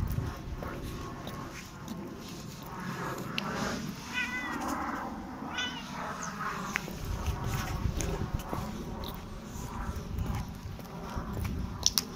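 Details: Korat cat meowing as its owner leaves for work, unhappy and not wanting to let go; a few short harmonic meows around the middle over steady low household rumble and clicks.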